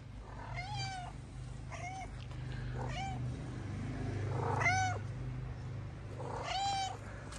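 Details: Male tuxedo cat in Morocco, angry when picked up, meows five times, roughly every one and a half to two seconds. Each meow is a clear, harmonic, slightly bending wail over a steady low hum.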